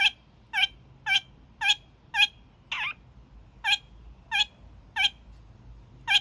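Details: Evening honks from a young male kakariki kept as a pet: a run of about ten clipped, nasal honks at roughly half-second spacing, one longer scratchy note in the middle, quiet background.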